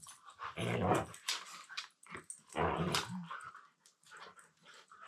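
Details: A Siberian Husky talks in throaty, low-pitched, growling yowls in two long bursts while mouth-wrestling in play with another husky.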